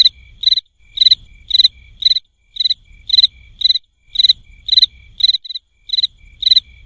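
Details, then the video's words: Cricket making short, sharp high chirps at a fairly regular pace, about two per second, each a tight cluster of pulses, with soft low background noise. "SOM DE GRILO"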